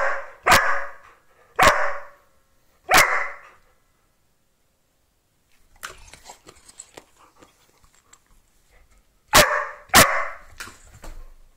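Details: An Australian Cattle Dog that loves playing ball gives sharp, loud single barks spaced about a second apart, recorded on 14 October 2020.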